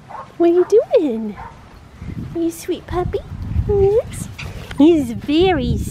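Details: Black tri male Australian Shepherd puppy with one blue and one green eye, at Fifteen Acre Farms in Oklahoma, gives several high, bending whines and short yelps that rise and fall, some wavering, while a person talks softly nearby.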